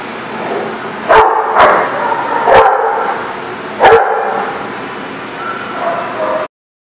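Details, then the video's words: Dog barking at The Barking Lot, recorded 5/13/19: four sharp, loud barks spaced unevenly over about four seconds, each with a strong mid-pitched body, followed by quieter murmuring background sound before an abrupt cut. "The Barking Lot"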